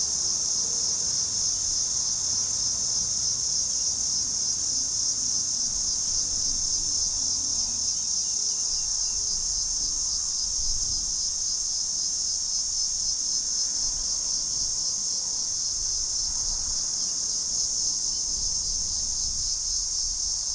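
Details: Platypleura hilpa cicada singing in July at Sanzhi, Taiwan, captured with a Sony A7s3 and Rode VideoMic NTG; a dense, high, continuous buzzing drone with fine rapid pulsing, unbroken for the whole twenty seconds.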